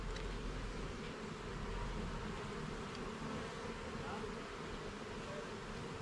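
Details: Honey bees humming loudly and steadily as a garden hive is opened for inspection, a dense even buzz with a slight rumble underneath and no other clear sounds.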